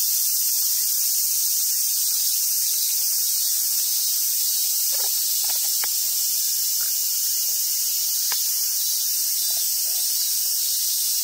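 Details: Continuous shrill drone of summer cicadas at Awaji Island Monkey Center in southern Sumoto, Hyogo, Japan, among wild Japanese macaques; a few faint soft knocks and rustles sound beneath the unwavering buzz.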